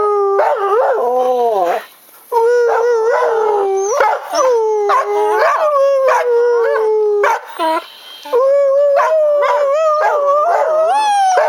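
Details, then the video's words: Two pet dogs, Jemma and Bubby, howling along as their owner sings Crying Time. Long wavering tonal howls slide up and down in pitch, with rich overtones, in near-continuous phrases broken by two brief pauses. "Jemma dog and Podjy singing"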